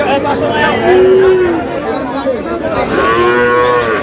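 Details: Sahiwal bull calves at Aftabganj cattle market in Dinajpur on 13 June, as trading begins. Two drawn-out, tonal moos, one short and level and the next longer with rich harmonics, sound over steady crowd chatter and shouting.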